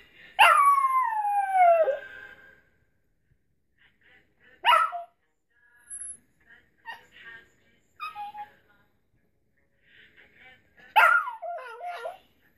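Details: Pet dog Quincy Jones singing along to It Gets Better by Mad Child: one long, wavering howl gliding down over two seconds, scattered short whines and yelps, then another sharp falling howl near the end.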